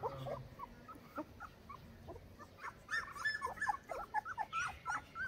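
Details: Fourteen-day-old Saint Bernard puppies in Pakistan give thin, rising whimpers, sparse at first, then crowding into rapid overlapping squeals over a low background hum.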